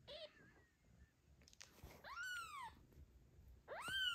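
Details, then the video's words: Mother cat in the postpartum period, anxious for her newborn kitten's safety as other cats approach on an afternoon walk; two high, arching meows, the second rising sharply, after faint murmurs and a soft thump. "The cat is worried about the safety of the kitten and hides it"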